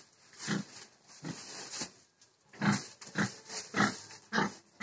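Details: Pig grunting in short, low, broad bursts, a few spaced notes early then a denser run of five grunts about every half second.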